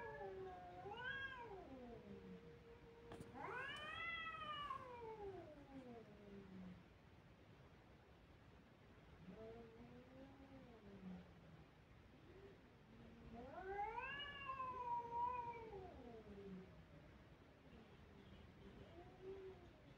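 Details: Kittens crying with loud, arching meows, each swelling up then sliding down over about two seconds, repeated in bouts with fainter cries between.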